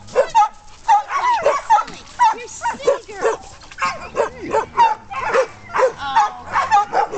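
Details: Playful pet dog splashing in water gives quick, high yips and short barks in rapid bursts, over a woman's affectionate chatter.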